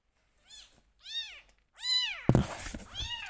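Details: Bottle-fed rescue kitten calling at milk time: four high, arched mews in quick succession, growing louder, with a sharp handling clatter partway through, indoors.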